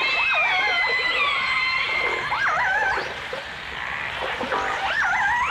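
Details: Dense overlapping calls from dolphins and orcas in a 1989 stereo recording. Wavering, looping whistles climb and fall quickly while long steady tones hold underneath, all over a continuous watery hiss.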